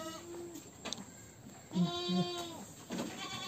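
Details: Peranakan Etawah goat, described as among the largest in Wonogiri, Indonesia, gives a drawn-out, wavering, harmonic bleat of under a second after a shorter, fainter bleat. Faint rustling and background noise are also heard.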